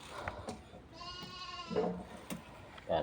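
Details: Goats herded to graze on a nearby plot with no corn planted, beside farmed land; one wavering, harmonic bleat lasting under a second, surrounded by clicks, rustling and a few soft voices.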